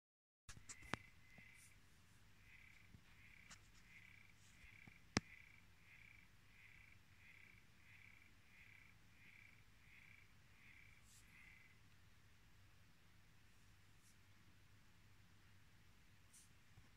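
An aquarium frog sings a steady train of short, buzzy mid-pitched pulses over a low hum.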